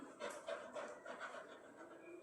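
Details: Rani, a pet Labrador Retriever, pants in quick, breathy, rhythmic puffs, several each second, with a soft whimpering edge and faint human speech in the background.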